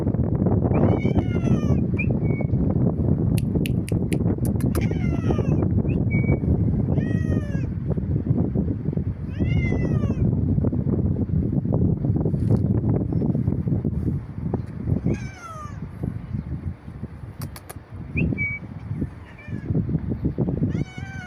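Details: Cat making an odd sound: a series of short, bending meows, each rising then falling in pitch, given irregularly over twenty seconds above a constant low outdoor rumble, with a few sharp clicks.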